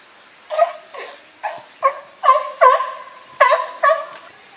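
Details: Group of California sea lions, boss Felix among them, at Higashiyama Zoo and Botanical Garden, 12 September 2023; eight rich, harmonic honking barks at irregular half-second to one-second spacing, growing louder.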